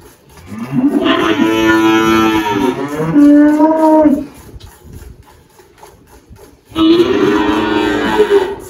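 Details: Girolando cow mooing on a farm in Anápolis, Goiás, Brazil, recorded 1 March 2023: two long, rich bellows, the first swelling and bending downward over about three seconds, a quiet gap, then a second moo.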